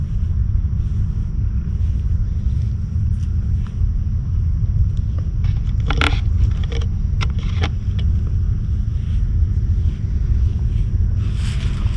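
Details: A steady low rumble like a passing or idling vehicle fills the whole stretch, with a few sharp clicks and scrapes near the middle and no animal voice.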